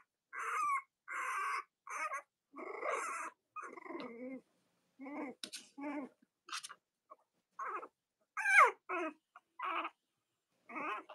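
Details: Young Cavalier King Charles Spaniel puppies from mothers Robin and Myra whimper in short repeated squeaky bursts about every half second, rising and falling, on a cold Monday morning in the US around Halloween.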